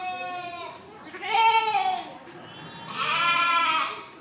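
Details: Sheep giving two drawn-out bleats about two seconds apart, each harmonic and slightly wavering, the second higher and brighter, with a short faint call at the start.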